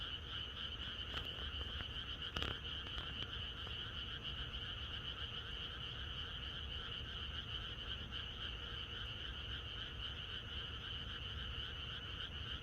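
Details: Many frogs calling together in rural surroundings the night before rain, forming an unbroken, even wall of high and mid-pitched trilling. A short sharp knock stands out early on, otherwise the steady chorus fills the whole stretch.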